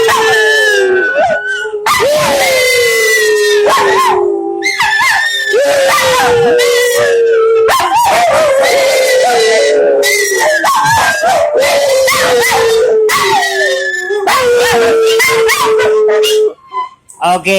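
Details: Several dogs singing along in a long howling chorus, wavering drawn-out tones interrupted by many yips and short barks, ending with a brief quieter stretch.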